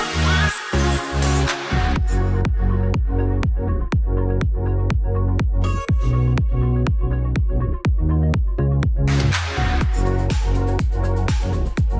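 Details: Loud electronic dance music with a steady pounding beat and bass throughout, and no animal sounds heard.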